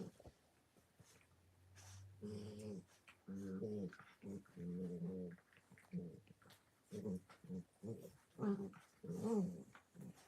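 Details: Playing puppies produce a quiet series of short, low, buzzy growls in uneven clusters, with a faint steady hum underneath and soft room noise.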